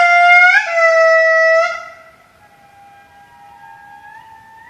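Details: Two indri about 10 m away down the hill in Maromizaha Forest, Madagascar, 13 July 2012, give loud, sustained wailing notes, rich and horn-like, followed by softer, more distant answering wails; indri.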